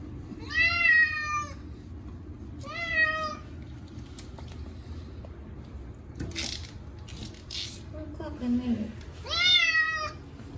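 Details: Munchkin cat Chacha cries during his annual bath with catnip-scented cat shampoo: three rising, harmonic meows, the second shorter, separated by water splashing and a brief human voice.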